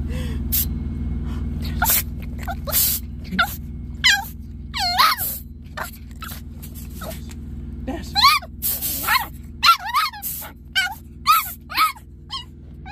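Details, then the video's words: Pet Chihuahua playfully fighting a blast of air from an air wand, making tough sounds: short, sharp, rising yips and squeaky whines in scattered bursts, denser toward the end, over a steady low hum from the blower. "Dash LOVES to fight air and he makes super tough sounds!"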